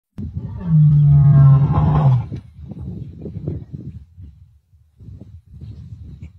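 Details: A male lion at Plains Camp, Kruger/Sabi Sands, 5 November 2023, gives a deep, rumbling roar to contact his brother, who may be somewhere in the area, followed by softer grunting exhalations.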